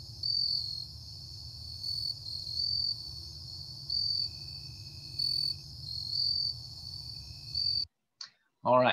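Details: Jumping bush crickets in the Chicago region, heard rather than seen, sing at night. They give short, high, chirping bursts about once a second, several singers at slightly different pitches.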